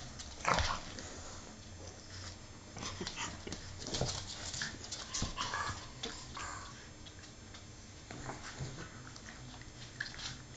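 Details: Two English Bulldogs playing indoors give short whines, snorts and grunts amid scuffling noises.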